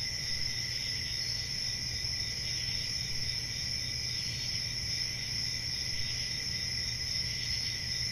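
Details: Crickets calling at night in a summer forest, a dense continuous high ringing trill in two bands, unchanging throughout, with a quiet low hum beneath.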